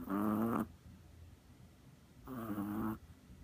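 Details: A Chihuahua sleeping soundly on a lap like a cat makes two short, tonal, whistling snores about two seconds apart, each slightly rising, in a quiet room.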